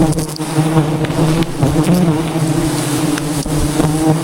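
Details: Wild bees around a giant hive hidden in jungle trees, stirred up by honey hunters; a loud, continuous droning buzz with steady low tones, punctuated by occasional knocks and clicks.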